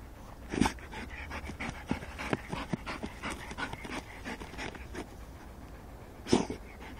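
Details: Rottweilers catching mice pant and sniff in quick bursts, with two sharp, breathy huffs standing out.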